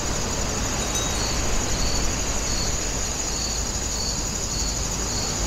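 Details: At Woninjae in Incheon, grass insects give evenly spaced pulsed chirps, about two per second, above a thin continuous high tone. Heavy steady rumble and hiss from the surroundings sit underneath.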